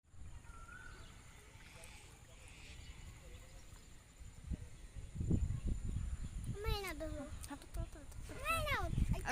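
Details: Goat being caught outdoors, bleating twice in loud wavering cries near seconds seven and nine, with a person's voice, handling thumps and scuffling before.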